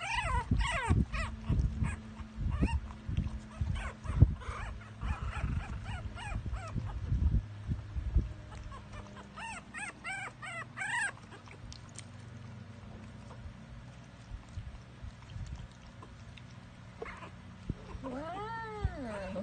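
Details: Jack Russell Terrier puppies giving high, thin whimpering yips with arching, harmonic-rich notes, clustered at the start, again mid-way and once near the end. Heavy low rustling and thumping from handling runs throughout, and a voice exclaims softly.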